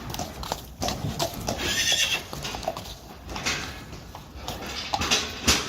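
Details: Friesian horse mares from a herd that do not want to go outside, whinnying in short bright bursts amid steady clatter of hooves and shuffling, with a louder cry near the end.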